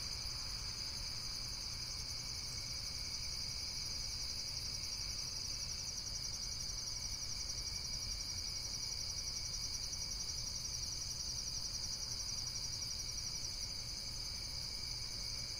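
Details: Continuous high, shrill insect chirping in rapid, fast-pulsing trills, several callers blending into an unbroken shimmering chorus over a faint low rumble.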